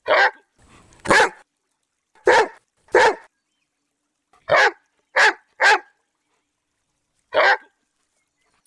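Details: Domestic dog of a popular breed giving about nine loud, rough barks at uneven intervals, some doubled, with brief gaps between groups and a quiet background.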